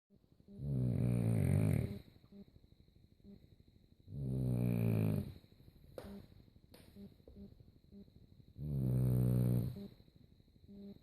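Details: A sleeping French Bulldog snores loudly, each rumbling breath lasting over a second, about every four seconds.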